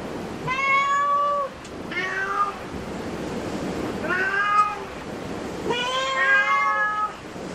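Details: Cat at a cat cafe meowing four times at roughly two-second intervals, each call clear and harmonic, rising slightly then holding steady, with quiet room noise between calls.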